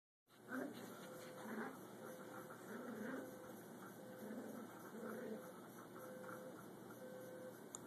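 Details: A Cocker Spaniel that hates the alarm clock gives low, wavering whines and moans against the clock's steady electronic beeping.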